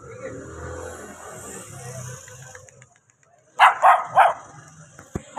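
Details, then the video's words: Puppy barking after a stretch of low rumbling background: three quick high yips in a row, followed by a pause and one more yip. "Dogs baby barking"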